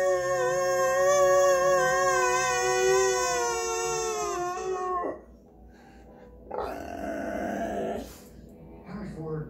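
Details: Dog howling along to singing: a steady, rich, slightly wavering wail lasting about five seconds, fading out, followed by quieter human voices and rustling.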